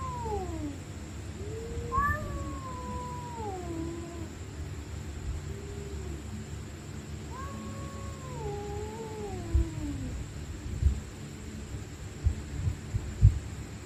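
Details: Night fight between stray cats: several drawn-out wavering growling yowls sliding up and down, two voices overlapping, followed by a quieter stretch with scattered knocks and bumps over steady low hum.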